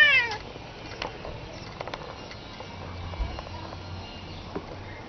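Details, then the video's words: A domestic cat gives a single short meow with falling overtones right at the start, then only scattered soft clicks and low background hiss follow. "The Cats Meow"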